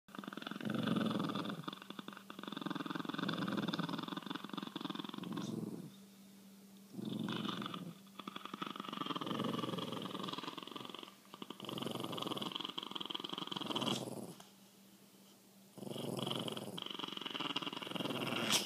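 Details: Chihuahuas in a standoff over the best spot on a couch growl in long, rumbling stretches of several seconds, separated by brief quiet pauses. A person speaks at the very end.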